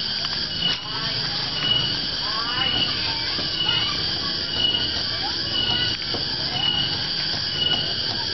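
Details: A cicada in Java, Indonesia, calling loudly in the afternoon, gives a steady high-pitched buzz with a ringing pulse about once a second; its call is taken as a sign the dry season is arriving.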